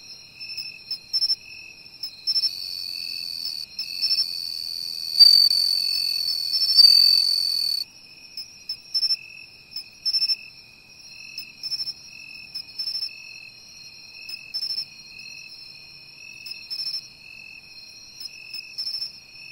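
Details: Seaside bell cricket found by following its voice: a bright sustained ringing trill swells for several seconds in the first half, then fades, leaving short repeated chirps of other insects pulsing at a steady, lower pitch.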